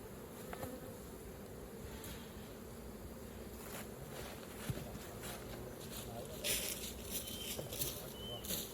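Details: Massed honey bees humming low and steady at a hive opened for honey harvesting. Brief rustling bursts of handling noise come toward the end.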